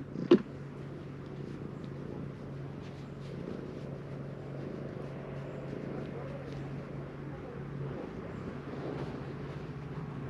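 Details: Continuous deep purr from an affectionate stray calico cat, an even low hum lasting about ten seconds, preceded by a brief sharp click near the start and light background rustling.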